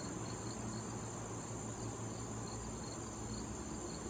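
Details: Crickets in late summer at a patch of wild tall thistle visited by bees and butterflies: a steady high shrill drone with faint pulsed chirps repeating about twice a second, over a low droning hum.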